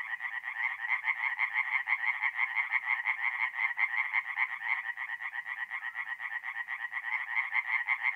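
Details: Forest pond in north-east Italy on an April night, where tree frogs sing in a rhythmic chorus: quick rasping pulses repeat about three times a second in steady waves, and several callers overlap throughout.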